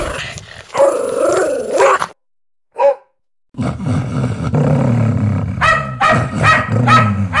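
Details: Hostile house dog defending its owner: a strained snarling bark, a short isolated yelp, then a deep rumbling growl underneath a fresh burst of sharp barks toward the end.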